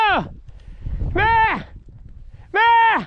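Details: Podencos from the Perjuicillos pack while hunting give three loud, clear yelps about a second apart, each sliding up then falling in pitch, with faint rustling and a handler calling encouragement between them.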